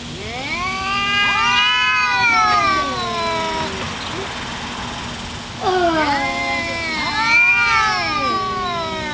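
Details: Fighting pair of domestic cats, one of them black, trading long, bending caterwauls that swoop down in pitch, a quieter gap midway, then another rising and falling yowl.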